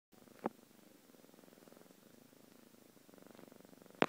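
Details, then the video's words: Domestic cat purring: a soft, steady, rapidly pulsing rumble runs through the whole recording, with a brief sharp click near the start and another at the end. "Cat puring"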